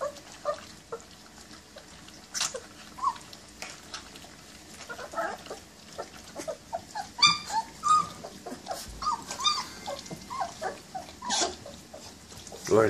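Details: German Shepherd Dog, also called Alsatian, giving high, squeaky whimpers and short yips, irregular and thin with bright overtones, rising into clustered whines toward the end, with soft handling noises between calls.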